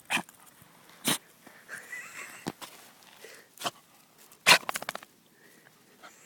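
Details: Jack Russell Terrier named Scamp, nosing around in a bush after finding something, gives sharp breathy sneezes: one burst near the start and a louder one later, followed by a quick run of snorting puffs; faint rustling of leaves between.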